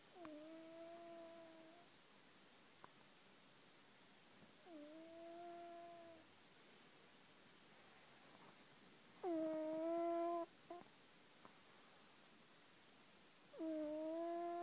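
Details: Domestic cat snoring while asleep: steady, nasal tonal whines with soft overtones, each about one and a half seconds long, rising slightly then holding, returning roughly every four to five seconds with near-silent pauses between breaths.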